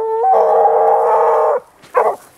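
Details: Grapa de Vallezano, a hunting dog on the scent trail of wild boar, gives a long steady howling bay of over a second, rich in harmonics, followed after a short pause by a brief second bay.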